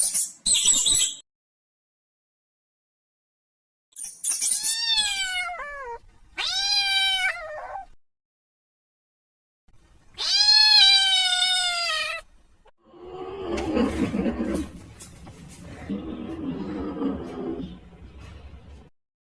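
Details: Kitten meowing for its mother: a series of insistent meows, some short and rising then falling, one long and strained, with gaps of silence, ending with several seconds of rough, noisy rustling.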